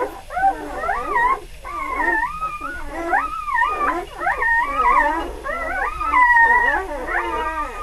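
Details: Litter of three-day-old puppies crying together: overlapping, wavering, whistle-like whines that bend up and down, with several pups calling at once in a near-continuous chorus with brief dips.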